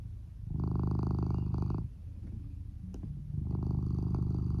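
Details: Lou, a male red tabby and white Norwegian Forest Cat born in 2015, snores while sound asleep after crawling under the futon, with volume boosted. Low rumbling bursts swell for over a second, ease into a softer lull, then return.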